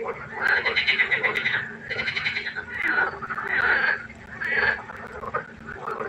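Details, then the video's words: A pond at night filled with croaking frogs, loud overlapping nasal quacking calls swelling into continuous waves of about a second or more, separated by short dips, no other sounds standing out. "1 Stunde Froschkonzert. Frosch Geräusche quaken. Frösche Geräusche Konzert"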